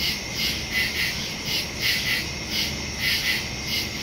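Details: Crickets chirping at night in the woods, recorded September 2, 2023 on a Samsung Galaxy S22 Ultra phone with a Shure MV88+ stereo microphone; high, pulsing chirps swell roughly twice a second over a steady insect hum.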